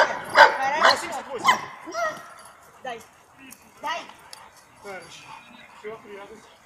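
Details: Labrador Retriever barking while protecting its female owner: three loud, sharp barks in the first two seconds, followed by quieter human voices and softer scattered sounds.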